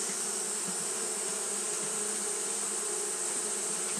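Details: Continuous droning hum of Japanese honey bees fanning through a hot day. Steady low buzz with faint wavering pulses in the lower tone and a persistent bright hiss above, no other animals heard.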